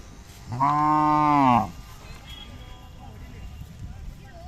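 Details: Khillar cattle at the Athani fair (jatra), Belagavi district, where cows, bullocks and young bulls are offered for sale, 23–25 April 2024; one steady, rich, harmonic moo lasting about a second, over faint crowd murmur.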